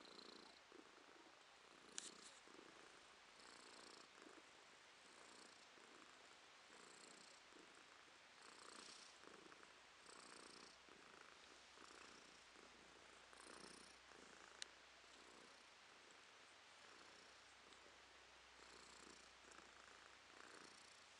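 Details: Female domestic cat purring softly indoors in April 2023. Quiet, rasping pulses repeat steadily about every half second with each breath, close and continuous.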